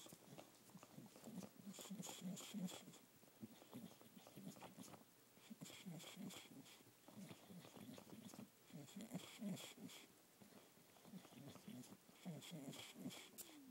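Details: Olde English Bulldogge, a male, soothing himself by sucking on a stuffed fish toy; steady rhythmic low slurping pulses run about three per second with irregular gaps and faint breathy bursts in a small room.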